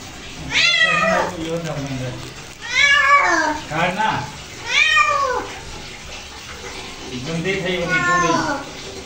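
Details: A pet cat protests during a bath with long drawn-out meows, each arching up then down, repeated about every two seconds, with low voice-like sounds and faint water in between.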